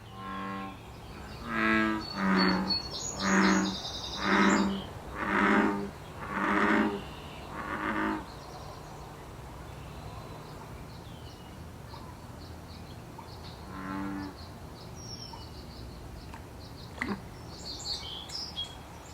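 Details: Wild American bullfrog in Canada during the mid-June breeding season, giving a run of about seven deep, throbbing, harmonic croaks roughly once a second, then one more after a pause. Thin bird chirps sound high above.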